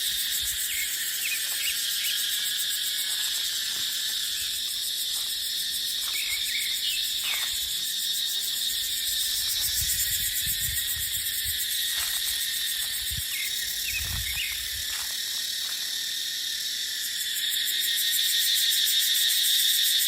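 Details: Loud, steady high-pitched cicada buzzing with rapid shimmering pulses in dry-season dipterocarp forest, with occasional faint bird chirps and low wind gusts rising and falling in the middle.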